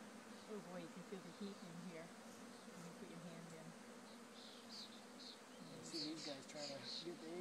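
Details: Honeybees swarming, having left one of a farm's hives, handled gently while being moved: a wavering, buzzy drone that rises and falls in pitch, with brief faint high chirps near the end.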